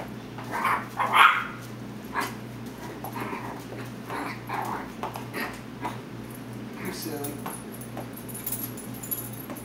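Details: Chihuahua puppy bullying a big black Labrador indoors; a burst of short, high, harmonic yips early on, followed by quieter scattered yelps and soft background sounds.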